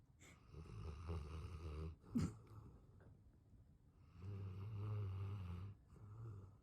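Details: Sleeping English Mastiff giving deep, rumbling snores, a long rattling inhale, a brief sharp snort, a pause, then another drawn-out buzzing snore and a shorter one after.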